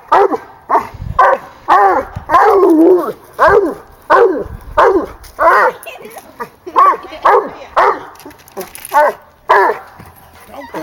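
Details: A 16-month-old female hound dog at a tree where she has treed a raccoon, giving loud harmonic bawling barks, about two per second, each with a falling tail; a second young dog also present, and a person urges her on.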